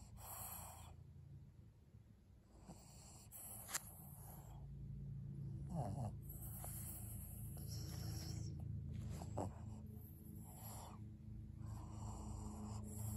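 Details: Senior fawn pug Maria, a 12-year-old female in Japan, snorts while asking for a treat. Hoarse, airy snorts come every two to three seconds above a constant low droning rumble, with a few sharp clicks.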